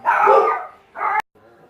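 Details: Indoor dog barking near a pet African grey parrot: one long harsh bark followed by a shorter one, then a sharp click and a brief quieter sound.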